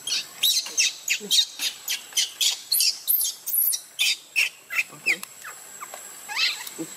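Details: Left in the water by his mother, baby monkey Luno screams in a fast series of sharp, very high squeals, about three per second, fading into a softer wavering cry at the end.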